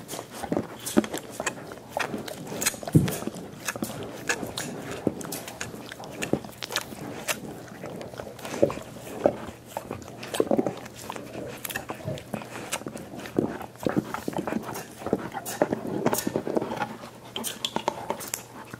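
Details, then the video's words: Indoors, five dogs work on soup bones for dental hygiene, producing a steady run of crunchy bites, wet slurping and scattered clicks, with a few footstep-like thumps throughout. "Annoying dog noises"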